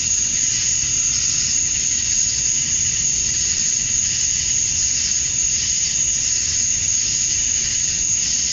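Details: Steady shrill drone of male cicadas calling for females as summer dusk falls in Georgia, USA; the high, sizzling buzz and its sharp whine hold level throughout, with only slight pulsing in the density.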